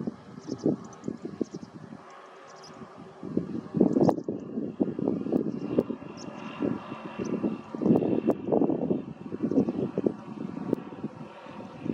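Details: Only a low, rumbling engine drone, like a vehicle or aircraft passing, rises and falls, with no clear bird calls.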